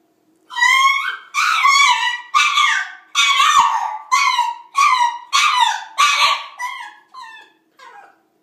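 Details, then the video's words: A French Bulldog's 'death yodel': about nine loud, wavering, harmonic howl-like yelps. Each lasts under a second with short gaps between them, and the last notes grow quieter and shorter. "Frenchie's Death Yodel"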